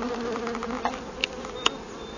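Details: Swarming honey bees from a hive discovered in a cut-down tree, being gathered with a bee-vacuum. A continuous low buzzing drone with layered overtones, broken by three brief sharp taps or clicks.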